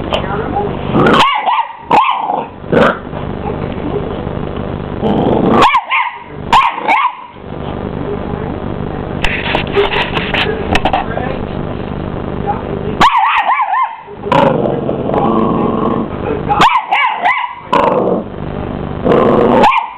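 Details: A Miniature English Bull Terrier puppy, twelve weeks old, confronts a hoover with repeated loud barks and throaty growls. The vacuum's constant whine fills the background, and some human speech is mixed in.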